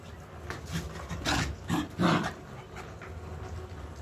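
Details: A female Pomeranian pestering because she wants to play gives three short whiny, grunting vocalisations in quick succession around the middle, each a brief harmonic burst, over a steady low background hum.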